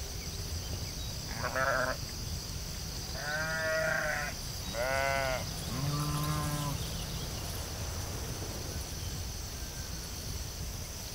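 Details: Sheep on a field bleating four times in about five seconds, short wavering harmonic calls, one lower and deeper than the rest, followed by quiet background noise with a steady high hiss.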